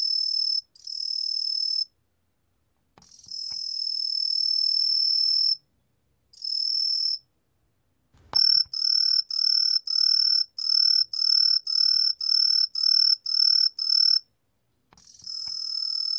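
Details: Green pine cricket song from a 2020 National Institute of Biological Resources recording: high, pure ringing trills in bursts of one to two seconds, then a run of about ten short chirps roughly half a second apart, then another sustained trill; no other sounds.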